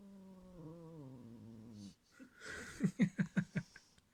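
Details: Indoor pet cat protecting its cotton toy from another cat gives a drawn-out, moaning growl that slowly falls in pitch. A burst of rhythmic, pulsing human laughter follows.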